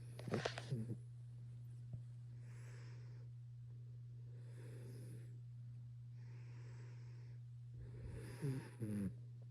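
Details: A young male Maine Coon cat, about 6 months old in December 2021, snores in slow, breathy, rasping pulses, roughly one every two seconds.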